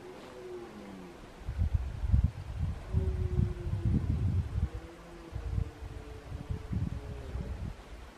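A red deer stag roars in deep, guttural bursts during the autumn rut.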